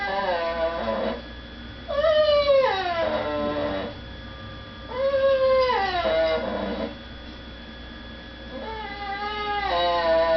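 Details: Pet dog, a female, whining indoors while people eat in the next room and she is kept from begging at the table; three long nasal whines that arch up then fall, with quiet gaps between.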